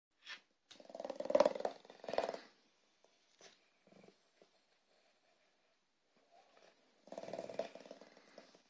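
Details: Elderly dog, 13 years old, greeting its owner on arriving home, overjoyed: a strange, crazy-sounding harsh vocal outburst in bursts over the first two and a half seconds, then quiet with small noises, then another rough burst near the end.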